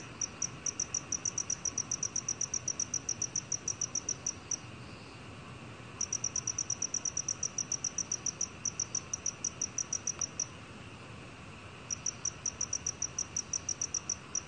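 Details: Black cricket, recorded in 2020 by the National Institute of Biological Resources, sings in long bursts of rapid high-pitched pulses, each run lasting several seconds and separated by short silences.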